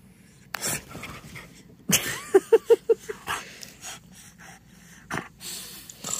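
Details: Playful French Bulldog Timber, rolling in clean couch blankets at home, lets out a quick run of five short tonal grunting whines, then snorts and rustling from the blankets.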